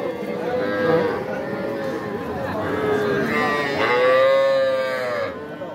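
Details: Young cattle at the Aftabganj market in Dinajpur, Bangladesh, where small bulls and heifer calves are being sold on 5 September. Several short moos are followed by a louder, arched call lasting over a second, with steady market chatter underneath.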